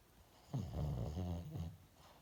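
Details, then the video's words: Asleep indoors, a pet dog gives one rattling, low-pitched snore about one second long, rough and vibrating, rising suddenly from a quiet background and fading with a short final puff. "남의집 강아지 코골이 구경"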